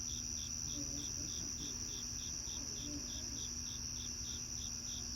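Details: On a cloudy evening outdoors, crickets give evenly spaced short chirps about three per second, steady and unbroken, layered over a continuous high-pitched trill.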